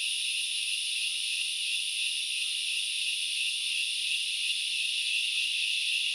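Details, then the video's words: A continuous, hissing wall of grasshopper song recorded in the Knuckles Reserve forest, Central Highlands of Sri Lanka, high and even throughout, the shrill layers steady without pauses or other voices. "The sound of locusts / The grasshoppers sounds"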